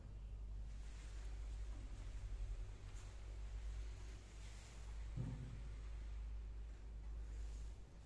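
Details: A steady low electrical hum fills the recording under faint room noise, with one brief soft thump midway and no animal calls.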